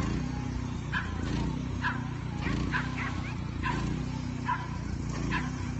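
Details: Henry the Leonberger barking during lure coursing; spaced, gruff single barks arrive irregularly about once a second, several quick ones bunched near the middle, all set against a constant low mechanical drone.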